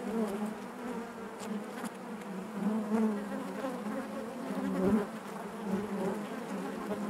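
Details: Inside a honey bee hive, the colony keeps up a continuous humming drone, fairly soft and even, with small wavering rises in pitch and a brief louder pulse near the end.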